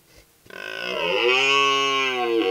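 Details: A red deer stag in the upper Verdon gives a long, deep, harmonic rutting roar that swells and holds steady.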